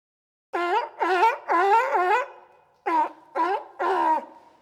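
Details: Sea lion giving throaty, honking roars: three longer wavering calls run together, then after a pause three quicker barks, each bending down and back up in pitch.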